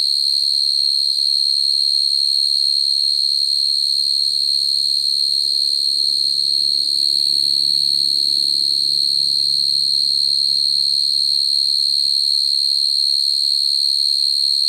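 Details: A field cricket calling to attract a female at night, a call used for trapping crickets; a constant high, shrill trill carries on unchanged while soft low rumbling sounds rise and fade in the background.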